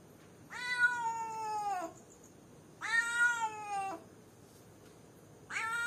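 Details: Caged cat on its own calling someone, with two long, strong meows of over a second each, rich in harmonics and sliding slightly downward, then a third starting at the end.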